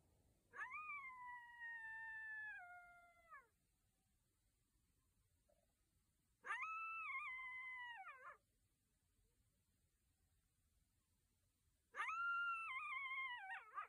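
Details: Coyote howling at night: three separate long, tonal howls about three seconds apart, each steady then sliding downward at the end, with quiet pauses between in a still background.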